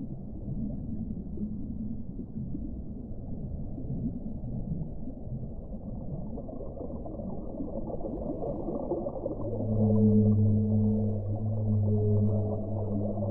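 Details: Whale moans in deep water: low rumbling water noise for the first nine seconds, then long, steady, low tonal moans with layered harmonics that swell and hold until the end.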